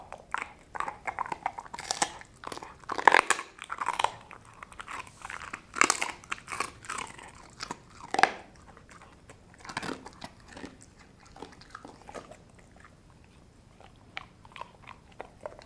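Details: A dog called Sasha crushes a dried kangaroo bone and jerky chew from Australia. Loud splintering crunches cluster in the first half, then the bites turn softer and sparser, with faint gnawing between.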